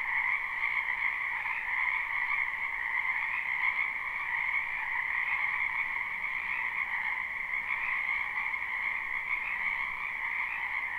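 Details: Live, unlooped spring chorus of wetland frogs: many overlapping high-pitched trills blend into a steady, shimmering buzz of even loudness, without other animals or background noise.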